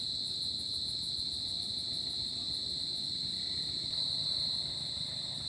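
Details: Summer night cricket chorus: a continuous shrill trill at a single high pitch, with a fast regular pulsing in the upper overtones and a quiet low murmur beneath.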